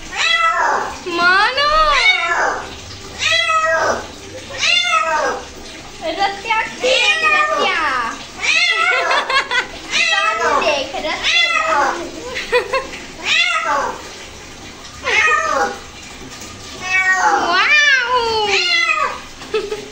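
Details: A cat being bathed keeps up a long run of plaintive, rising-and-falling meows with brief pauses, while a person speaks over the calls in a small indoor room.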